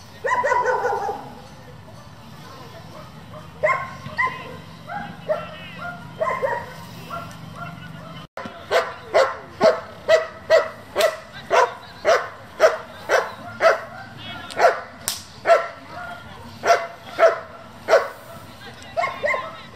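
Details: Working-group German Shepherd, bred for competition, barking: quieter mixed sounds at first, then a long rhythmic series of short barks, about two per second, running steadily to the end.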